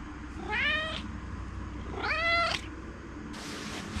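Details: A talkative pet Maine Coon living indoors in a multi-cat household in Japan gives two clear rising meows about a second and a half apart, followed by a brief rustling hiss.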